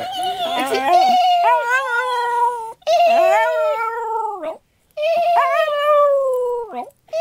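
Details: West Highland White Terrier, a two-year-old female, howling in reply to people making horse noises rather than dog howls; long wavering tonal howls with rising and falling inflections, three drawn-out phrases separated by short gaps, voices underneath.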